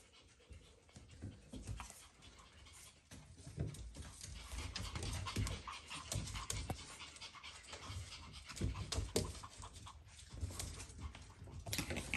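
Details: Shih Tzu puppies during bath time pant quickly and rhythmically, breathy and low with the odd faint whimper, over water sloshing and handling or rubbing sounds throughout.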